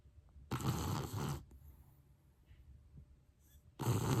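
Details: A pet dog snoring: a long rough rasping breath of about one second, then a quiet pause, and another harsh snore starting near the end.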